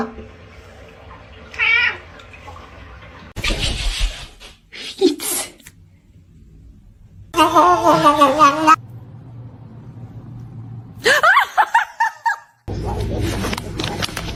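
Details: Kitten crying and meowing in a funny cat compilation: several short, wavering meows that rise and fall in pitch, separated by abrupt cuts, with background noise and brief snatches of speech between them.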